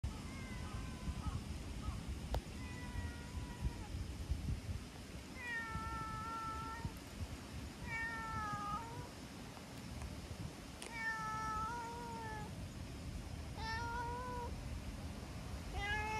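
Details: Talkative brown tabby-and-white stray cat meowing as it returns petting with rubbing and licking; about eight clear, slightly falling meows spaced every one to three seconds over a steady low outdoor rumble.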